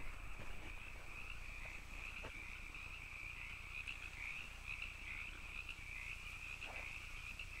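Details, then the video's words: Canyon frogs in full chorus: a constant, grating trill that wavers slightly in pitch, with a few sharp clicks scattered through it. "canyon frogs"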